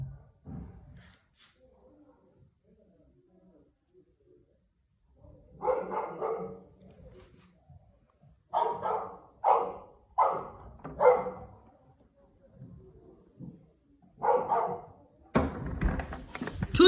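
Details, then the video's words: Older Golden Retriever barks frantically while the youngest dog swims alone in the pool at a Cheongju country house; a run of five sharp, evenly spaced barks in the middle, then more barking, with faint voices in between. "막내가 수영장 혼자 들어가면 미친듯이 짖는 큰형 골든리트리버"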